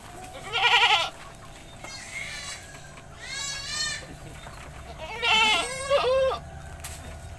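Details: Goat bleating while bathed in a village: a loud trembling cry, softer calls in between, then a pair of sharp quavering bleats near the end, with a click and low background hum.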